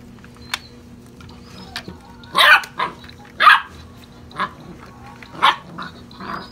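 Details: Six-and-a-half-week-old European Basset Hound puppies romping in play, giving a few loud, rough yaps spaced about a second apart with quieter squeaks between, and a steady background hum.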